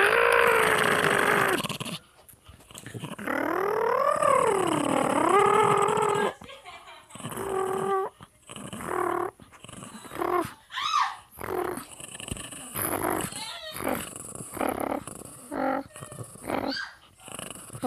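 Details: Pet dog in a growl-off contest with a person indoors: a long droning growl that swoops down and up in pitch, then broken into choppy growls, whimpers and squeaky rising whines, with speech nearby.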